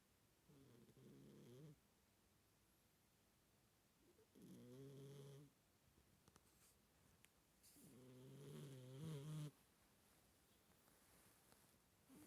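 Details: Sleeping Siamese cat snoring indoors: three soft, droning, nasal snores, each about a second long, come roughly every three to four seconds with quiet pauses between.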